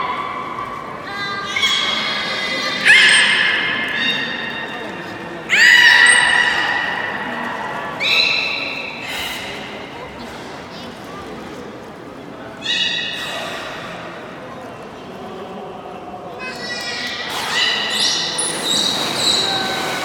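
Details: Beluga in public training at Port of Nagoya Public Aquarium, 24 March 2018, 16:30 session: bursts of buzzy, harmonic squeals and rising whistles every few seconds, separated by spoken commentary and crowd noise in an indoor hall.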